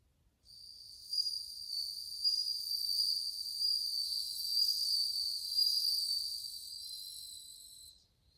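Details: Bell crickets (suzumushi), many singing together in August 2020: a continuous high, bell-like ringing trill with bright overtones that swells in and holds steady for about seven seconds before stopping abruptly.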